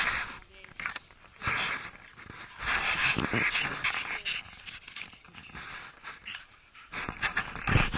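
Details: Bella, a dog that has just caught and eaten a rabbit outdoors, pants in rapid, rough breathy bursts, several per second, with scuffling and scraping noises between them and excited people talking nearby.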